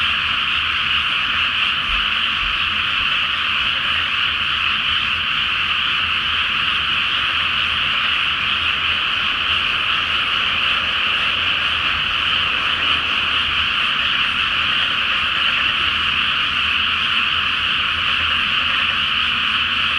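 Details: Frogs calling en masse at night from a water-filled rice field awaiting planting, full moon overhead; unbroken, thick croaking chorus holds steady throughout, with faint low rumble beneath.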